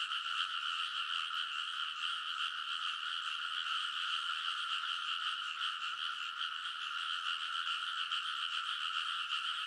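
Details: Crowds of frogs calling together by a Japanese rice paddy in Konosu, Saitama, deep in an early-summer night, TASCAM Portacapture X8 recording; a thick, constant mass of rapid croaking holds steady throughout.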